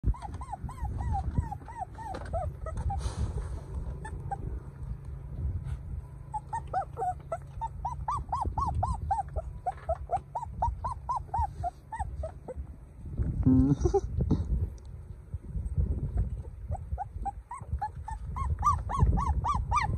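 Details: A golden puppy cries in rapid runs of thin, arching whimpers, over a low background rumble.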